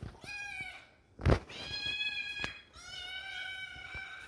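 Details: Kitten alone inside a home, searching for friends, gives clear, drawn-out meows in three calls, each a bright, steady, slightly falling wail. A sharp loud knock comes between the first and second.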